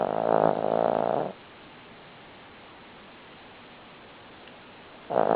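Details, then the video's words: Buddy, a Cavalier King Charles Spaniel, sleeps and snores. One long, grating snore of over a second opens the clip, followed by a quiet gap, then the next snore starts at the very end. "Buddy Snoring"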